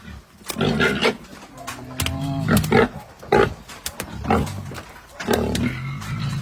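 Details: Pietrain and Large White gilts on a hog farm, with the Large White being loaded for transport to Batangas: harsh repeated grunts and squeals in short bursts, sharp knocks and clanks, faint voices.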